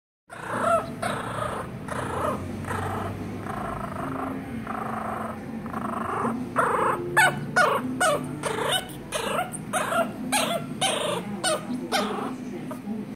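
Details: Angry teacup Chihuahua growling continuously, a steady rough rumble that rises into rapid snarling snaps and short yips in the second half.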